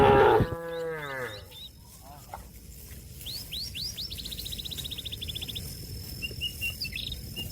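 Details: Cattle calling a companion that is out eating grass to come home to its shed: one loud, deep, harmonic moo at the start, then sharp repeated bird chirps and trills over a quiet background.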